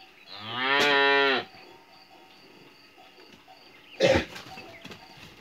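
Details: A calf in a yard during hot weather gives a single loud, harmonic moo of about one second, followed by quiet and then a brief dull knock.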